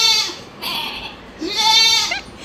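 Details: A newly bought goat and a bigger goat call back and forth, bleating in loud, nasal, wavering cries in quick succession.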